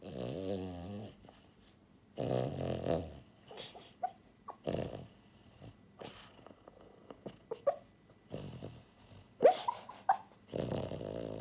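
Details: Buhiko, a pied female French Bulldog born in January 2022, snores heavily in her sleep: loud, grating, rattling snores about every two seconds, separated by snuffly breaths and small snorts.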